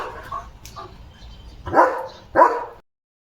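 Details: Pet German Shepherd Leo gives barks at a dog spotted outside his yard. Soft human talk comes first, then two loud, full barks sound about half a second apart before silence.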